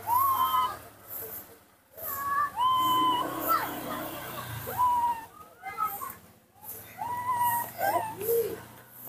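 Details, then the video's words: Young monkey named Nomi calls out for his absent father with melodious, whistle-like cries. Each cry is drawn out, slightly arching and ringing with overtones. They repeat every second or two over soft room noise, with a lower falling note near the end. "the melodious sound that the baby monkey Nomi makes to call, when his father is not nearby"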